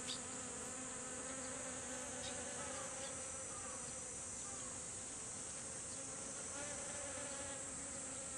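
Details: A crowd of honeybees visiting blooming kumquat in a garden for nectar. Their buzz is a continuous hum with a few brief louder passes as bees fly close, set over a steady high-pitched hiss.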